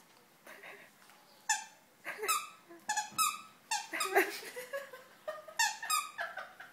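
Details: Indoors, the dog Spikey romps with another dog, Mia, giving rapid high-pitched yelps and squeaky whines, many sliding downward, in uneven bursts roughly every half second.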